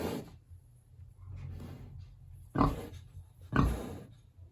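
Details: Hungry big pig kept in a village pig house on a warm autumn day gives a few deep, harsh grunts, two loud ones about a second apart after a quieter, rumbling start.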